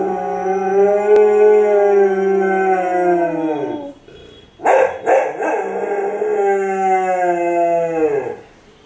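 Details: A male Cocker Spaniel, responding to a person imitating a cat's meow, gives two long, steady, tonal howls that sag downward at the end.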